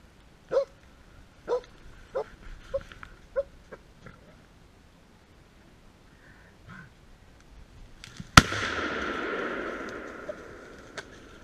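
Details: A Polish Hound on a driven wild boar hunt in November gives a run of sharp, distant barks, spaced about a second apart and gradually thinning out. A loud gunshot then cracks and echoes away.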